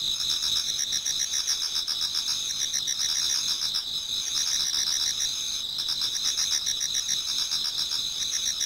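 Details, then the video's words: Toward dawn in autumn, many insects fill a Japanese garden with continuous shrill trilling, several bands ringing at once with fast pulsed chirping beneath, the texture dipping briefly once before resuming. "Autumn Insects voice Towards dawn"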